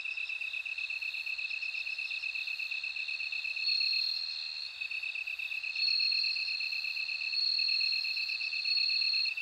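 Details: A bell cricket sings clear, high ringing phrases that swell in and out. A constant, lower-pitched insect hum runs beneath throughout.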